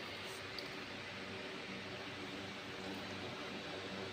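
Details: Quiet, even indoor hiss like a fan or room noise runs throughout, with one tiny click and no animal sound.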